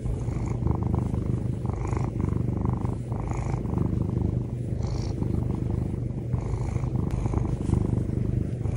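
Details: Domestic cat purring in the morning while waking its owner; a steady, deep, rumbling purr that pulses rapidly and continuously for the whole stretch, close to the recorder, with no other clear sounds.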